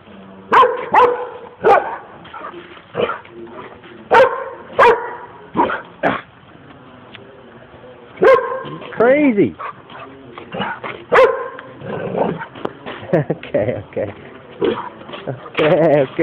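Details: Excited pet dog barking in short bursts with whining, yelping pitch-bending cries between, amid a person talking to it.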